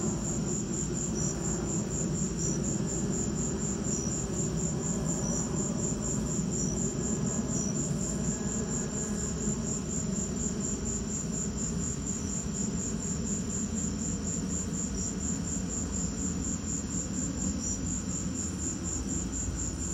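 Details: Crickets chirping during a lightning storm: a rapid, steady high-pitched pulsing trill runs throughout, with a softer lower note breaking in every second or so, over a constant low rumbling background noise.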